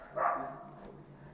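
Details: Popeye, a four-year-old dachshund with obedience and barking problems that barks all the time, gives a single short, sharp bark that fades quickly into a quiet indoor background.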